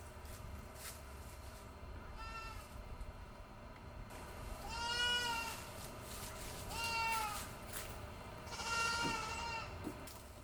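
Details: Young goat kids crying out around feeding time at a home; several loud, wavering nasal bleats rise and fall, spaced roughly two seconds apart, over low room hum and faint household noise.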